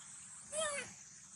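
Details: Baby monkey Sweetpea, hungry and calling sadly while looking for its mother: a single short tonal cry with stacked harmonics that slides gently downward, over a steady high insect drone.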